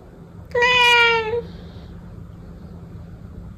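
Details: A single drawn-out meow from a protected domestic cat, strong and harmonic, holding steady then dipping slightly at the end, followed by near silence with a faint low background hum.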